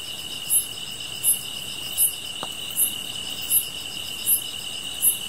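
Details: Insect sounds with a fire: seven piercing high chirps evenly spaced about 0.8 seconds apart above an unbroken high trill, with one faint crackle.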